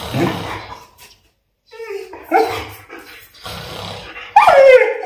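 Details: German Shepherd indoors reacting to its owner's snoring: a series of high whines and yelping howls, rising and falling, the last one loudest and sliding downward, with a low rumbling snore-like sound between them.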